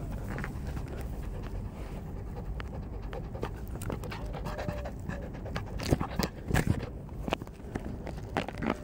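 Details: Snoopy, a three-month-old Beagle puppy, panting: soft, rapid, breathy huffs over a steady low rumble, with sharper clicks and thumps in the second half.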